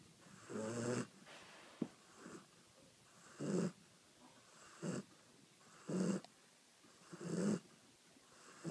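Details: A dog asleep and snoring loudly: harsh, low snores spaced unevenly, roughly one every one to two seconds, with a few short snorts between them and quiet pauses.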